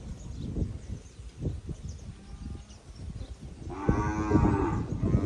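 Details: Nelore and crossbred calves, eight months old, from the Jales area of São Paulo state, Brazil: after scattered thuds and shuffling, a loud drawn-out bellowing moo rises with rich harmonics and runs to the end.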